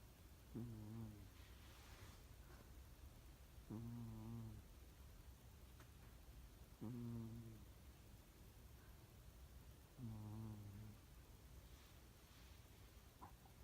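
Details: Cat snoring: four low, buzzy snores repeated about every three seconds, each a rough vibrating purr-like rasp lasting under a second, over a quiet background hiss.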